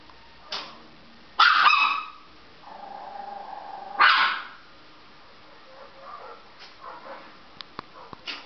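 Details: A female Chihuahua reacting to dogs on television gives loud sharp barks, a fainter yip, and a drawn-out low whine between them, followed by soft clicks and small noises.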